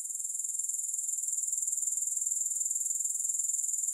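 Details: Grasshopper chorus heard with no music: a sizzling, very high trill of quick regular pulses, starting slightly softer and swelling to a steady level over four seconds.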